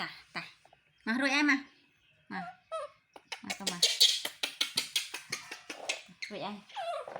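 A baby monkey gives wavering, squeaky whimpers and short cries to draw its mother's comfort.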